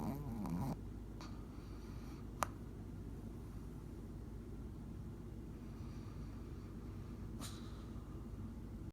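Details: A sleeping Shih Tzu snoring, a steady low rumbling breath sound that continues throughout, with a brief louder snort at the start and a few faint clicks.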